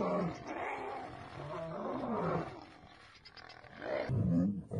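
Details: Lions in a fight, females attacking a male over a mate: deep, throaty roars and growls rise and fall in loud bursts, fading midway before a sharper, louder snarl near the end.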